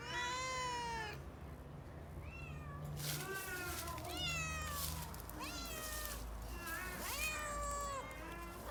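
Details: Domestic cats in a fighting-sound compilation: a rapid series of short, rising meows and a few longer yowls, with bursts of broadband noise and a low hum underneath.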